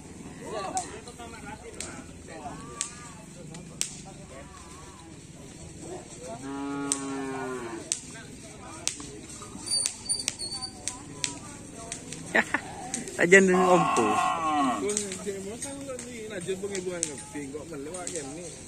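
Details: Madurese karapan sapi bulls training for the bull race at Asemanis field with the Griduh Onggu team. A drawn-out moo midway and a louder, rougher bellow later, with clicks, voices and background music.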